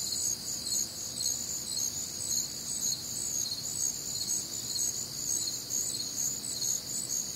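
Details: Night chorus of crickets recorded on a humid, warm Midwestern summer night: dense, high-pitched trilling chirps stacked at different pitches, beating in a loose rhythm near two pulses per second over a soft low hiss.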